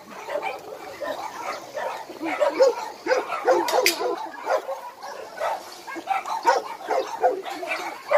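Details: Abandoned dogs at a Daegu shelter in South Korea bark and yip together in a continuous, busy chorus of high, sharp barks overlapping throughout, with a few brief clanks.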